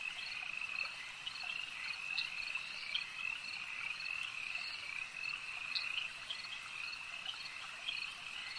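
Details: Many frogs croaking together by a lake, their rapid pulsed calls merging into a level, ringing trill, with occasional sharper notes standing out from the mass.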